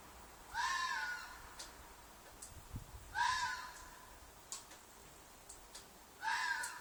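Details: Fox calling at night from a field behind an apartment, described as a mating call or cry: three harsh, raspy screams spaced roughly every two and a half to three seconds, with faint clicks and ticks between them.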